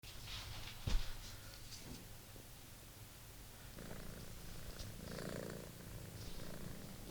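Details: British Shorthair kitten named Monty purring while playing with his old favourite toy indoors; steady low rumbling purr throughout, with a sharp knock near the start and light scratchy rustles of the toy.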